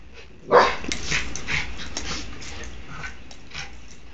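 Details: During a dog wrestling match filmed on an Android phone, one sharp bark opens, followed by scattered softer yips and scuffling noises that fade over a few seconds.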